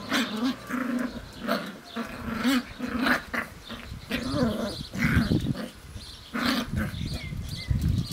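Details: Sealyham Terrier puppies aged seven weeks, from Whitepepper's Norah Jones at kennel Rosgaard, romping on a hot summer day; repeated throaty growls and grumbling snarls rise and fall every second or so amid scrabbling play noises.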